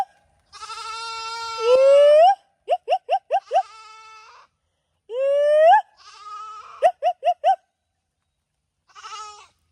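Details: A female goat left behind by her grazing herd after rain, calling out loudly; long rising wavering bleats are each followed by a quick run of three or four short clipped bleats, with a quieter bleat near the end and silence between.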